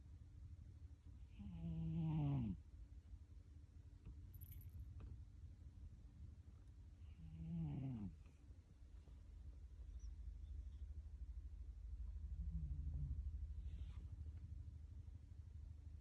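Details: A sleeping cat snoring: two louder rasping, whistly snores about six seconds apart near the start and middle, a softer one later, over a continuous low rumble of breathing indoors.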